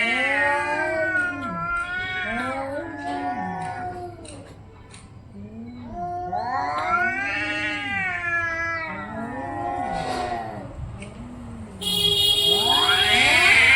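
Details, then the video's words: Orange-and-white domestic cats fighting, loud overlapping yowls and wails, arching up and down in pitch, nearly continuous with a brief lull midway, closing with a harsh hissing screech. "cat funny sounds"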